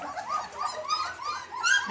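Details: German Shepherd whimpering indoors: short, arched, high-pitched whines that swell and fade in quick succession, with a sharper squeal at the close.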